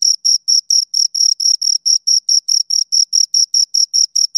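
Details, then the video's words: Pair of crickets giving rhythmic, high, scraping chirps, around twenty short pulses over four and a half seconds, evenly spaced and loud, nothing else audible. "Two Crickets Chirp Sounds"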